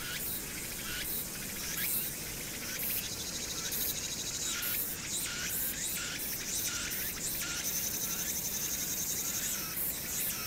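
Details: Cicada chorus heard from Hwangnyeongsan on the night of 1 August 2019 in summer: repeated high buzzing pulses with rising edges, steady and overlapping, over a low continuous rumble of the city.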